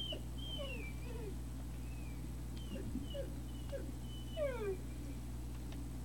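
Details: Great Dane puppies, recorded 3 May 2019 around 17:06, giving thin, high whimpering squeals that slide downward, several short ones then a longer falling whine near the end, over a steady low electrical hum.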